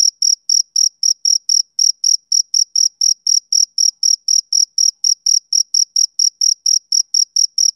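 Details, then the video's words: A male cricket calls through a summer evening with bright, piercing chirps, roughly four each second, regular and unbroken against complete quiet. "Cricket Chirping Sound Effect"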